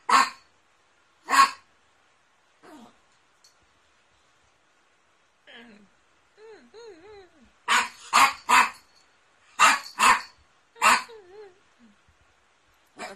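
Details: Poodle barking, from a 2016 compilation of barking and howling poodles: sharp, short barks, two spaced apart and then a quick burst of about six in the second half, with brief quieter tonal whines between them.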